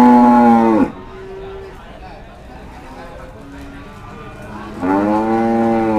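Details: Cattle at Pasar Sapi Kliwonan, a livestock market in Kediri, East Java, Indonesia, where Limousin, Simmental and Pegon cattle are sold; a loud harmonic moo drops in pitch and stops, a murmuring market lull follows, then another full moo rises and holds.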